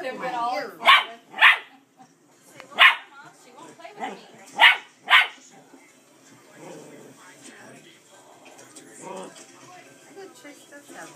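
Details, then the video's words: Male pet dog barking to invite his sister to play: scattered sharp barks in pairs amid people talking, then quieter background sounds and murmuring voices. "barking at Bright Eyes"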